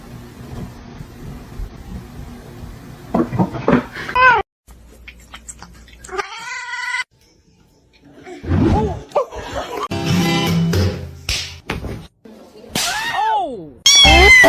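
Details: Domestic cat meowing in a choppy sequence of short scenes: brief arched meows rising then falling, the clearest near the end, between abrupt cuts, silent gaps and bursts of human voices indoors.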